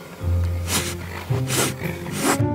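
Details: A steppe rat snake, found in the steppe in mid-March after waking early and handled briefly before release, gives three sharp, breathy hisses about a second apart over a steady low hum of background music.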